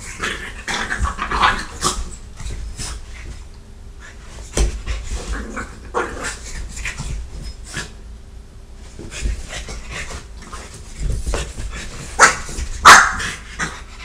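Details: A French Bulldog left home alone with other dogs barks and growls in irregular, scuffling bursts with rough panting between while attacking a Catahoula.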